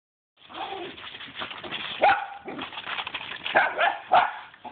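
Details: Two pet dogs going berserk while playing with a swimming pool broom; rough, excited barks and growly yelps come in irregular bursts, with scraping and knocking in the background.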